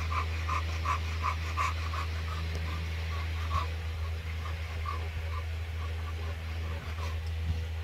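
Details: An American Bully pants in quick, rhythmic breathy pulses, about three a second, over a constant low mechanical hum.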